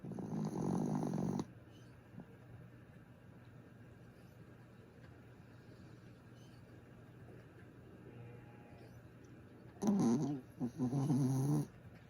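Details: Sleeping dog Griff gives two low, rasping snores about nine seconds apart, separated by near-silence with faint room hum.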